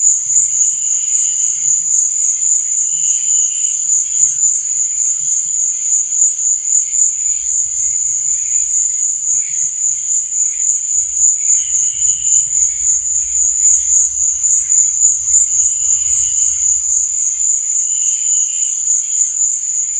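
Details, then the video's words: Crickets chirping at night: a steady, very high continuous trill runs throughout, with softer pulsed chirps lower down recurring every couple of seconds and faint low rumbles in the background. "Cricket Sound| Sleep and Relaxation Nature Sound| Stars &Moon| Cricket Noise| Night Sound"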